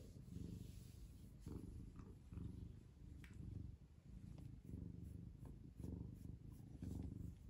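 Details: Ragamuffin cat purring while affectionate. The purr is a loud, steady, low rumbling that rises and falls in rhythmic pulses about once a second, with no other clear sounds.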